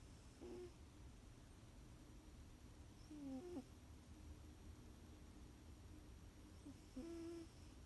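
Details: Sleeping cat snoring softly, each breath carrying a short, thin, whistling nasal tone, spaced about three seconds apart against a steady quiet room hiss.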